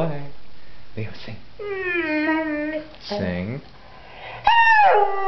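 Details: A singing pointer named Leo, a pet dog, gives a sustained harmonic howl that wavers slightly, then a short falling yelp and a loud rising howl at the end, with a person speaking at the start.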